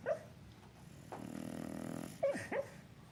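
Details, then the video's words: Sleeping bulldog Flynn, dreaming of chasing a squirrel: a single sharp yip, then a low rumbling growl-like snore lasting about a second, followed by two more quick yelps over soft breathing. "Bulldog snoring & dreaming of chasing a squirrel."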